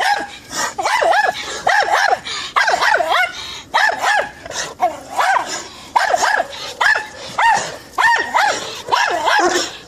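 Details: Saint Bernard dog barking in a steady series of loud, ringing, mid-pitched barks, often doubled, coming roughly once a second across the whole stretch with brief quiet gaps between bursts.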